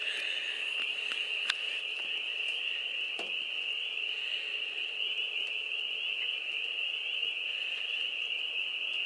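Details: Possibly thousands of frogs in a homestead farm pond, mating, call in a continuous high, shrill chorus at night on 25 April 2022 in rain; trills merge into an unbroken shimmering drone, with faint clicks and knocks.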